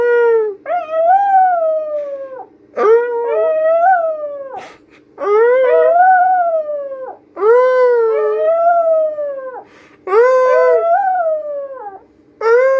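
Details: Hungarian Vizsla. A young Hungarian Vizsla gives long, tonal whines that climb, waver and slide down again. The cries come in bursts of about two seconds with short pauses between, almost howling at times.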